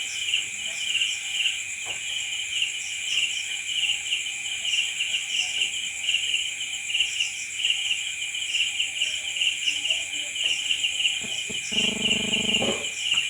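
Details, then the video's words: Crickets calling at night in a constant shrill, pulsing chorus with a layered high trill. A brief low buzzing hum cuts in near the end, lasting about a second. "Night Cricket Sound Effect"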